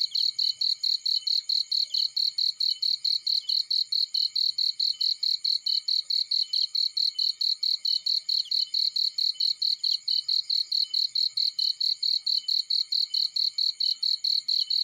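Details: Field cricket sound, a continuous train of sharp, high-pitched chirps repeated quickly, about four or five per second, very regular and unbroken over the whole stretch, with near silence beneath.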